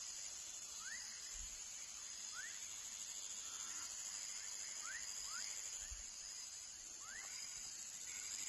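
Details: Baby frog giving quick upward-sliding whistled notes, about seven in a row at uneven spacing, with a constant shrill insect hum high above and a couple of low thumps.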